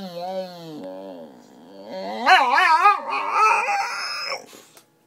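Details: Female boxer dog arguing with her owner, a long wavering moan that bends up and down in pitch, then a louder, higher, warbling howl-like grumble for two seconds before it fades.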